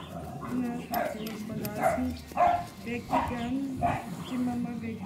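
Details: Five-week-old Cane Corso puppies, 10 April 2011: short high yips and squeaks in a quick irregular series, roughly one every second and a half, over a steady stream of soft German speech.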